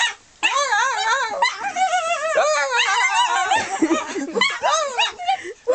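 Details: Molly, a pet dog, voices her strange noise, a steady flow of undulating, sing-song whines rising and falling rapidly after a brief silent start.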